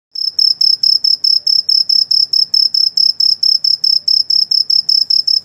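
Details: An insect at night gives a steady, high-pitched trilling chirp, pulsing rapidly over and over without pause.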